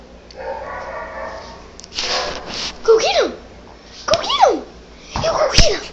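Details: A dog, apparently frightened by barking noises played from an iPad, lets out three odd, arching barks about a second apart, each sweeping up then dropping in pitch. A person coaxes her beforehand, with a brief rustling burst between.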